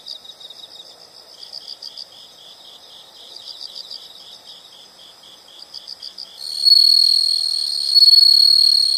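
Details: Nature sound of insects: a long run of quiet rhythmic chirps, roughly four each second, followed by a sudden loud sustained high-pitched trill.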